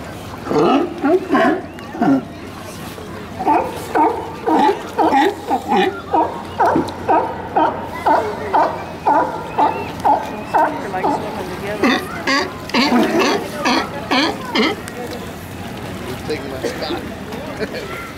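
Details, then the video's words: Sea lions at Santa Cruz Municipal Wharf, recorded with environmental sound: a long series of hoarse, harmonic barks repeated roughly twice per second, some drawn out and some clipped, with a brief exchange of human voices. "Santa Cruz Sea Lions"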